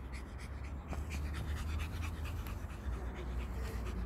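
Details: Pomeranian named Ponçik panting while playing with a ball, steady rapid breathing low and soft, a woman's voice nearby praising her play.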